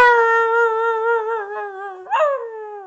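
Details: Boxer dog at home howling along with its owner: a long steady tonal howl with rich overtones holds level for about two seconds, then a brief rising swoop before it slowly drops and fades.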